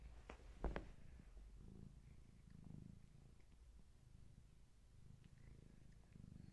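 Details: Gaia, a long-haired tabby family cat heavily pregnant with many kittens, purring indoors during a bedtime visit on camera; a low, steady rumbling purr with a sharp click or bump near the start.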